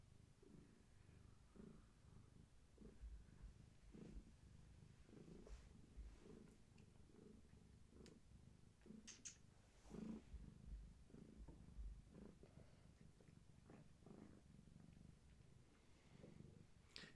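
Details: Pregnant long-haired tabby cat, heavily pregnant with many kittens, resting indoors while her kittens move; soft low irregular purring pulses, quiet throughout, with faint rustling.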